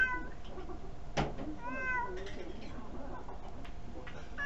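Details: Pet cat named Kuri sitting on a chair begging for food, filmed with a tiny camera indoors; a harmonic meow around 1.6 seconds, rising then falling, with softer shorter mews before and after over a low room hum.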